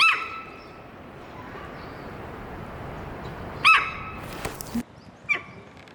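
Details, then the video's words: Amanda, a 15-year-old female Hokkaido sika deer kept at Maruyama Zoo in Sapporo, giving loud warning calls on 20 April 2026: three high squeals, the last fainter, with a short scraping noise between the second and third. "エゾシカが突然警戒！周囲に響いた謎の鳴き声〜The Hokkaido deer is making a warning noise"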